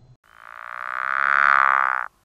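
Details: A rare Pickerel Frog in northern Illinois (Winnebago County), calling in early spring (late February to April), gives a single low, rattling snore, purr-like or like a creaking door, that swells in loudness for nearly two seconds.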